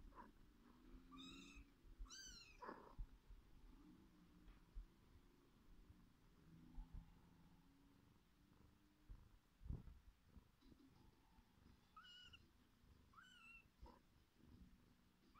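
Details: Mother cat purring steadily while feeding her kittens; high, slurred kitten mews break in twice early on and twice more near the end, over the continuous low rumble.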